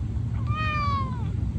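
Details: Encouraging, cute-sounding voice of a white Norwegian Forest Cat: one smooth meow lasting under a second, slightly arched and then falling gradually, clear above a low constant hum.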